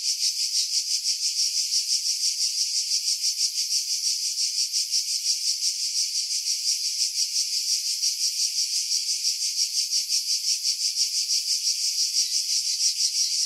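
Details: Cicadas singing in pine trees about 50 m above the sea at Pefkos Bay, Skiros Island, Greece, in July 2018, recorded on a Sony RX3 with external mic: a dense, high, hissing buzz that pulses steadily about three times per second, with wind filtered out.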